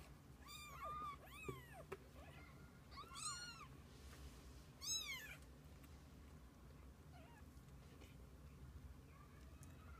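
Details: Kittens with their mother cat spend the day together, giving several high arched meows, some overlapping, in bursts around half a second, three seconds and five seconds, over a steady low hum.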